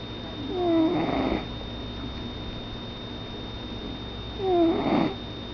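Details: Domestic cat snoring while asleep indoors: two breathy snores about four seconds apart, each carrying a faint nasal whistle that slides downward, over a steady electrical hum in a quiet room.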